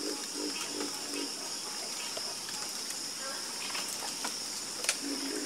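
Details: Nighttime frog chorus with brief, low croaks grouped at the start and again near the end, beneath a constant shrill hum of insects.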